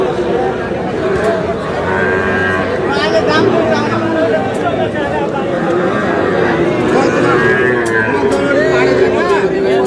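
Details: Cattle market on 11 July where a Noakhali farmer buys young bull calves. Repeated wavering moos stand out through a dense crowd noise, with people talking and haggling nearby throughout.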